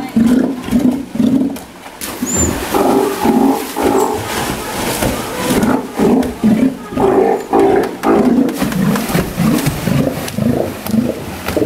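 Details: One-year-old captive Steller sea lion at Ise Sea Paradise aquarium, Japan, giving a long series of gruff, moaning calls, each short and pulsing, following one another about twice a second with little pause, one faint high chirp early on.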